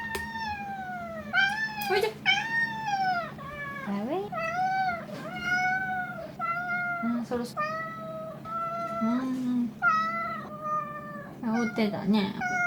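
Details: Indoor pet cat calling almost nonstop, many loud harmonic meows of varied length, some drawn out and falling, with a person's voice briefly heard beneath them and a steady room hum.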